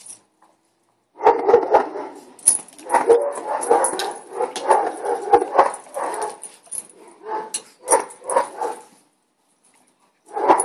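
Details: Neighbouring dogs barking indoors, heard from a house with a Boston Terrier: a dense run of sharp, mid-pitched barks over about eight seconds, several per second and uneven, then a pause before another bark at the end.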